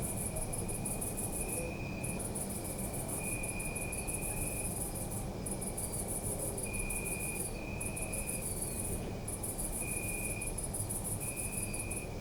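Crickets trill steadily at night, one very high and shimmering, another lower in repeated bursts, over distant city hum.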